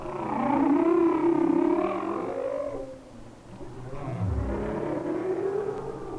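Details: Humpback whale song recorded by hydrophone off Maui, Hawaii, in winter: long, wavering tonal moans, then a deep sliding groan dropping to a low rumble.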